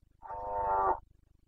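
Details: Red deer stag of the Carpathians roaring in the rut, Bucovina mountains, 29 September 2022. A single sustained, richly harmonic bellow of about 0.8 seconds, steady and then cut off abruptly. Calm surroundings.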